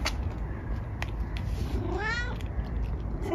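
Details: Eric, a household cat, sniffs a newly bought camellia plant and lets out one rising, slightly strained meow near the end of the moment, over low steady background rumble and a few clicks.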